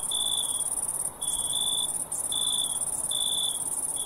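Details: Chorus of crickets with an unbroken high-pitched ringing trill behind longer, half-second buzzy chirps at a lower pitch, repeating about once a second, with two brief dips in the trill.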